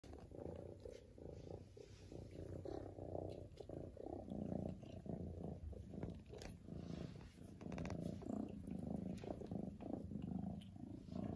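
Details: Lily, a domestic cat, purring loudly and steadily: a low, rumbling, continuous drone with a gently pulsing rhythm throughout, slightly swelling and fading in loudness, with faint soft rustles in the background.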